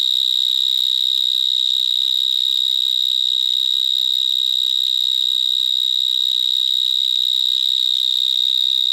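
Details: Loud stridulation of vineyard mole crickets singing from holes in vineyard soil in Gironde, France, where many live. A continuous, penetrating, high trill keeps a single pitch, its intensity nearly even, with faint overtones above.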